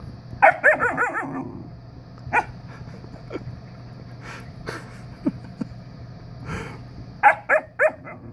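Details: A visiting Siberian Husky puppy, seemingly wanting to play, gives quick, wavering yips and whiny yelps in short bursts.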